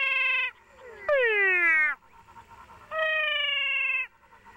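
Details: Loud, nasal, cat-like meows from a cat frog in Paraguay, recorded close up, where two cat frog species call side by side: three half- to one-second calls rich in overtones, the middle sliding steeply down, the others level, faint chatter between.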